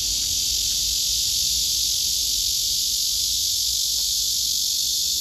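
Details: Male cicada calling to woo a female below him that is stepping backward; an intense, unwavering shrill drone fills the whole stretch with no pauses.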